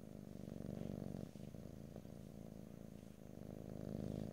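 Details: Cat purring in close stereo recording, no talking: deep, buzzing rumble with fast regular pulses, breaking briefly at each breath and resuming at full strength.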